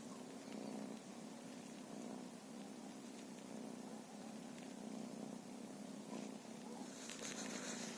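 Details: Feral cats purring: a steady low rumbling purr runs throughout, with faint rustling and a brief higher noise near the end.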